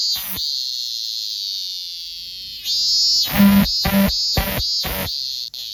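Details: Minminzemi, the robust cicada, singing: a steady, shrill high drone that holds for over two seconds, then breaks into loud rhythmic pulsed bursts roughly every half second, with a faint low hum underneath.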